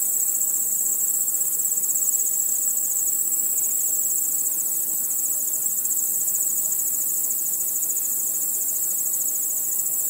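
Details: Crickets at night among other insects, a seamless sheet of very high trilling; the pitch of the dominant band shifts slightly partway through, while the fine pulsing stays even.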